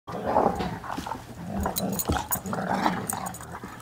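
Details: Two dogs wrestling and playing, growling throughout: rough, rumbling growls with gargled, throaty bursts, continuous with brief breaks, indoors-sounding.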